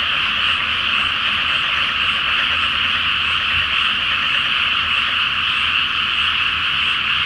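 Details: Great chorus of frogs in a rice paddy flooded ahead of planting, at night with a full moon, Japan; a steady, shimmering mass of croaks with no gaps, even in volume throughout.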